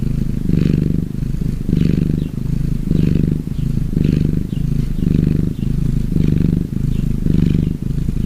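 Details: Gray tabby cat at rest, deep rumbling purr pulsing in steady breath cycles, about seven swells over eight seconds, each with a short dip between in-breath and out-breath.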